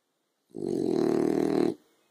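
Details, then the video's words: A sleeping French Bulldog on the sofa on a sunny afternoon gives a single drawn-out snore, a low rattling, vibrating rasp lasting just over a second before falling silent. "Frenchie Snoring"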